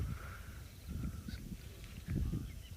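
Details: On a late-afternoon sunset safari on 29 July 2023 on a property in South Africa's northeast, a young male African elephant walks off to feed and gives deep, throbbing communication rumbles in two low surges, with a faint high bird whistle behind.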